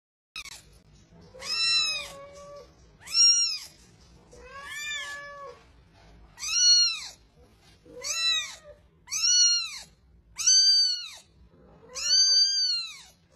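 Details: Kitten meowing in a series of eight clear, high arched mews, each rising then falling, spaced about every one to two seconds, with faint low background hum.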